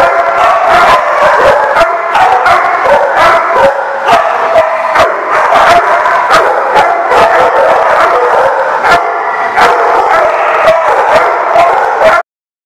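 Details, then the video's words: Dogs recorded on 14 August 2015 giving a steady, noisy stream of loud overlapping barks for about twelve seconds, several per second at times, with an occasional drawn-out howl-like note mixed in. "The Barking Lot"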